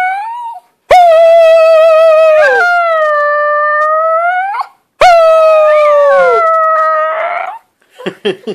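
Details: Close-up of a domestic dog's squeaky howling: two long, loud, steady tonal howls, each sliding slightly up then down, separated by a short gap, followed by a few short, quick yelping notes at the end.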